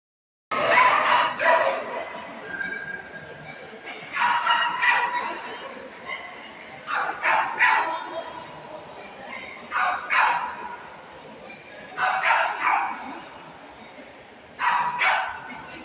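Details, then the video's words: Löwchen, the little lion dog breed, giving short sharp yapping barks in uneven bursts of two to four, with pauses of one to two seconds between bursts over a steady low background hiss. "Little Lion Dogs"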